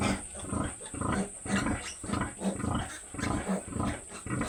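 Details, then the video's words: Two sows on a farm giving low, rough grunts in short bursts, repeated roughly once a second, with faint background hum. "My 2 inahing Baboy"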